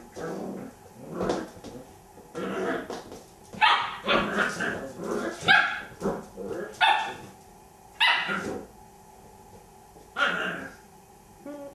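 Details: Playful Border Collie puppy trying to get a toy hippo to play, yipping and barking in separate bursts every second or two, with human speech in between.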